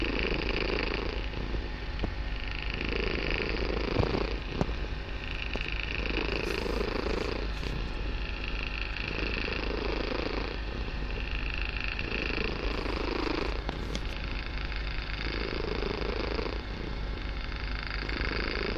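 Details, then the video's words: Barsik, a kitten, purring very loudly in a room; long steady low rumble alternating in breath-length phases every few seconds, with occasional soft clicks and rustles. "Мурлыканье котенка.Барсик очень громко мурлыкает"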